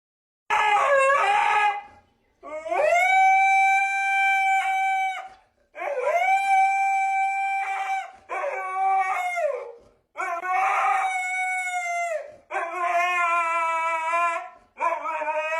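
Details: Siberian Husky. A Siberian Husky gives a series of drawn-out howls, each rising at the start, holding steady, then dropping away. The howls are rich and harmonic, with brief pauses between them.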